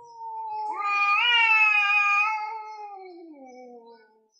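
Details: An orange male cat and a grey male cat meow very loudly before fighting over territory. One drawn-out yowl swells upward, holds steady and strong, then drops into a lower, fading moan.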